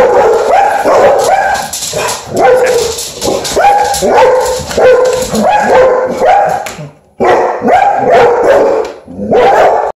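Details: Dogs barking to protect the house, loud rapid barks coming in quick overlapping volleys with yelping tones mixed in. The barking breaks off briefly near the middle, then resumes just as hard.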